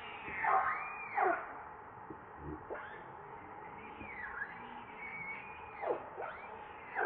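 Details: Hungry baby monkey Leo cries for its mother's milk: arched, whining tonal wails that rise then drop, plus quick falling squeaks, repeated irregularly over a low constant hum indoors.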